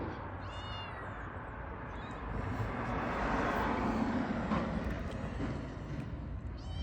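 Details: Cat called Niço giving two short meows, one near the start and one at the end, over a steady low rumble of engine or traffic noise, with a person calling to it.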